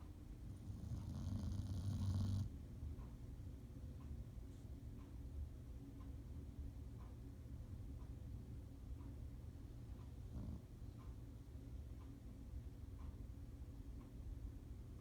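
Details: A little dog snoring while asleep: one loud, rumbling low snore in the first two seconds, then soft, low, steady breathing for the rest.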